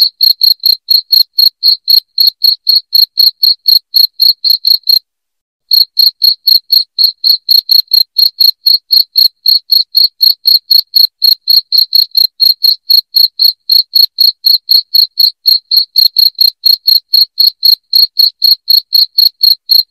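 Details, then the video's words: A shrill cricket chirps loudly and evenly, about four pulses each second. The recording is meant to repel rats at home. The chirping breaks off with a brief silence at five seconds, then resumes at the same pace. "SUARA JANGKRIK NYARING PENGUSIR TIKUS"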